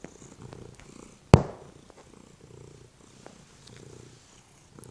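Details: Pet male cat resting on a couch ahead of dinner, purring; a soft, steady low rumble pulsing in waves, broken by one sharp loud knock partway through.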